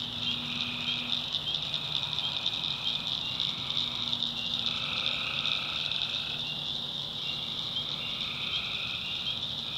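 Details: Tree frogs at night in a North Carolina swamp, their buzzy trills overlapping irregularly beneath a continuous high cricket drone, with a faint low hum in the background.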